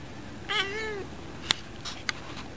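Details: Female pet cat sneezing in dazzling bright sunlight. A brief tonal, meow-like sound is followed by two short, sharp bursts about half a second apart over a steady background hiss.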